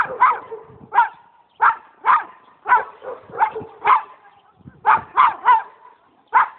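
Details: A pet dog barks repeatedly, about a dozen sharp, mid-pitched barks at uneven intervals of roughly half a second to a second, with faint whining between them.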